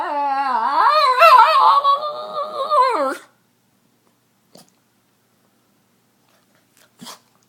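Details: A female Boston Terrier barks and squeals, giving a long, wavering, yodel-like whine that rises, warbles and then breaks off.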